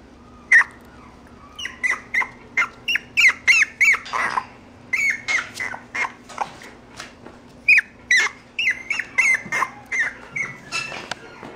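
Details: Mixed-breed puppy indoors making a long series of short, sharp high-pitched whimpers and yelps, irregularly spaced and sometimes bunched, with a few breathy noisy bursts between them.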